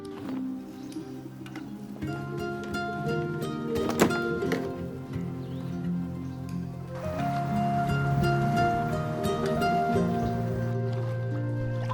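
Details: Music with sustained tones and a low steady drone plays throughout, with no animal voices heard.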